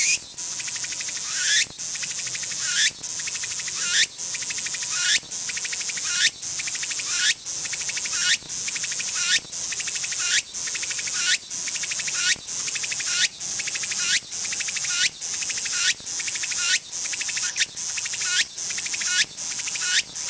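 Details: Walker's cicada (Meimuna opalifera) song, from its start to its end: a shrill, high buzzing broken into sharp rhythmic phrases about once a second.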